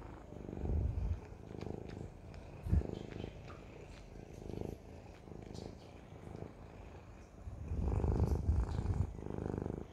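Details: Siamese cat purr in rhythmic breathing cycles, low buzzing rumbles rising and falling about every second, with a few light handling clicks.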